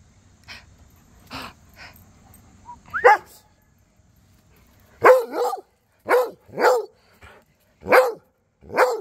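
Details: Barking exchange between Cody the Rhodesian Ridgeback, Duchess and neighbour dogs; a few faint distant barks give way to a string of loud, sharp barks, often in quick pairs, about once a second.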